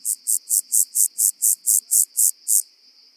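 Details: Omocestus petraeus, the rock-dwelling grasshopper, recorded on Cres island in Croatia in July 2022, produces eleven evenly spaced, hissing, high-pitched pulses at roughly four per second over a faint continuous high tone.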